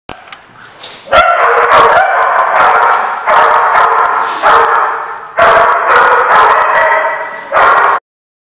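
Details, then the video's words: Dog barking, recorded 4/10/15; loud, drawn-out, harsh barks about a second long come in bursts every one to two seconds, separated by short quieter gaps with a few sharp yips. "The Barking Lot"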